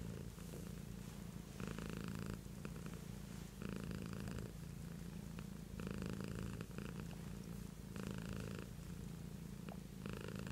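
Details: Continuous purr from Beatrice the cat, low vibrating hum pulsing with her breathing about twice a minute's worth per two seconds, brighter rasping surges alternating with quieter stretches, nothing else audible.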